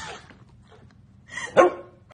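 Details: Dog giving one sharp, loud bark near the end, preceded by a rougher, softer rising sound, with a brief hiss at the start and quiet room noise between.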